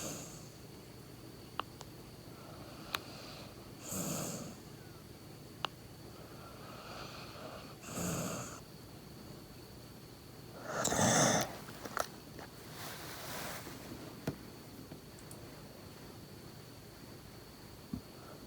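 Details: Labrador Retriever named Laboon asleep indoors after a lot of play, snoring in soft breathy rasps roughly every three to four seconds, the loudest snort near the middle, with a steady high electronic tone and faint clicks behind.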